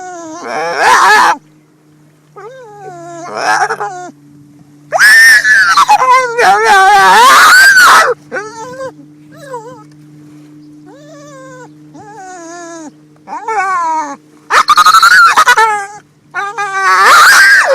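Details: Rescued female pit bull at the beach reacting to boats she loves to chase: rising-falling squeaky whimpers between loud harsh screaming bursts, several long raspy cries around the middle and end, steady low hum beneath.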